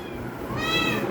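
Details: Kittens at home competing to climb onto a lap as their owner returns, one giving a short rising meow in the last half second over low background rumble.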